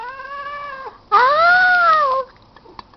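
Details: Bebel, a male pet cat who pretends innocence after misbehaving, gives two drawn-out harmonic meows: a level tone fading at about one second, then a louder arched wail rising and falling for over a second, in a quiet room.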